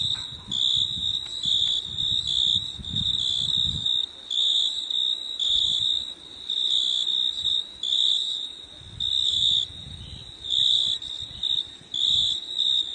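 A high, shrill insect trill runs almost without pause, pulsing in waves every second or so. A soft low rumble sits underneath in places.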